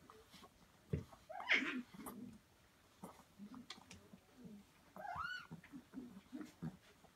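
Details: Samoyed puppies, five and a half weeks old, nursing from their mother in a whelping box in Prince Edward Island, Canada, in January; two thin rising squeals stand out among low grunts and snuffling suckling noises.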